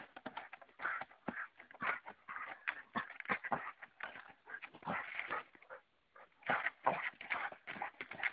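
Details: Dalmatian dog tussling with a stick too big for it, giving rapid, dense bursts of rough growling and snuffling noise that come in clusters with short gaps between them.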